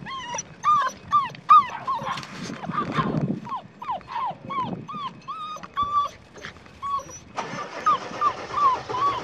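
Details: Red tri female Australian Shepherd puppy, six weeks old, at a farm in Oklahoma on January 29, 2021: rapid series of high, arched whimpers repeated more than twice a second, then a noisier stretch with continuing whines.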